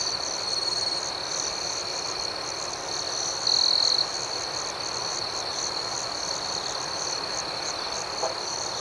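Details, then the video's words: Many crickets chirp together at night in a continuous high, buzzy ringing with fast regular pulsing. A closer individual briefly stands out around 3.5 to 4 seconds, and a faint click follows near the end. "Soothing Cricket Sounds"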